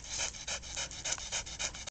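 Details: Dogs playing with a bucket toy, a Border Collie, an Australian Shepherd and a Shih-tzu, pant rapidly in quick breathy bursts about four per second, steady and hissing throughout.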